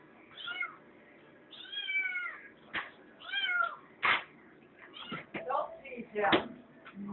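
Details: Felix the kitten whining to get into the refrigerator, giving several short, bending meows between a person's repeated scolding voice saying no, with a few sharp knocks and clicks in the room.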